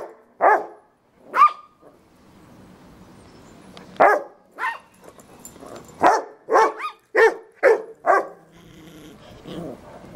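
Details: Fred, a fearless Yorkshire Terrier on a short stay, terrorising Robbie, a forgiving Rottweiler, indoors; sharp, high, clipped barks come in irregular bursts, about ten across the span, with quiet gaps of low rumbling between.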